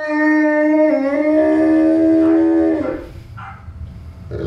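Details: Newfoundland dog howling: one long, steady, tonal note with rich overtones, held nearly three seconds with a slight dip in pitch partway, then fading into quiet with faint background noise.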